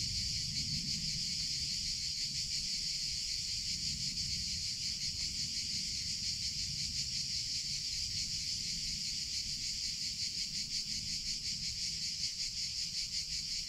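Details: Continuous summer cicada song, a bright high-pitched drone with quick regular pulsation holding steady for the whole stretch, soft low background noise beneath.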